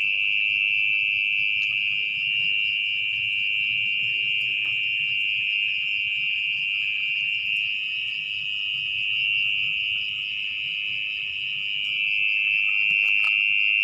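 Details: Mole cricket heard at night from its nest under muddy soil as the burrow is excavated; unbroken shrill trill holding one steady pitch, swelling slightly in places, with soft handling noises.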